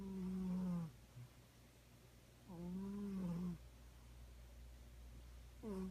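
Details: Domestic cat snoring indoors, each breath a drawn-out nasal rasp of about a second that falls slightly in pitch, with quiet pauses between.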